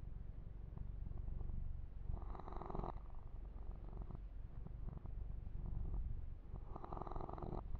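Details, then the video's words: Yumak, a male kitten, purring under massage and fur grooming; constant low vibrating purr, with two longer stretches of rubbing, rustling strokes over the fur. "Kitten Massage - Perfect Sleep Helper Ear to Ear Purring"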